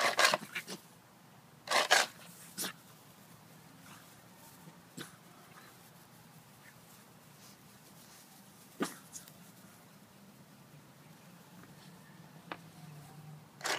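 A Boston Terrier gives short, harsh snorting huffs at irregular intervals in a quiet room.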